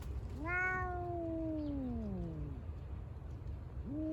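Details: Park cat in Senri Park West, December 2022, a rival of another cat; one long meow rising briefly then sliding slowly downward for about two seconds, followed by the start of another meow, low hum underneath.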